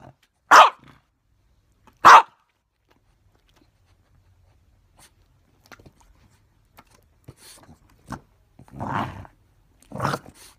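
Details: A French Bulldog gives two sharp, loud barks, then softer grumbles and huffs while play-fighting with his owner and copying the owner's moves.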